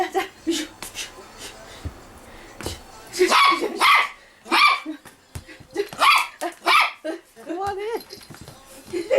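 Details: Toy Poodle Da-Ji at play with its owner, giving a run of sharp, loud barks in quick bursts through the middle of the recording, mixed with a person's excited Korean speech and counting.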